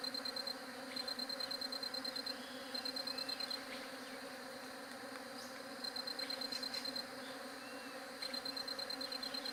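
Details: Bee buzzing recorded on a J7 Galaxy Prime2: an even, deep droning hum runs throughout, while rapid high-pitched ticking trills start and stop in short runs and a couple of soft chirps slip through.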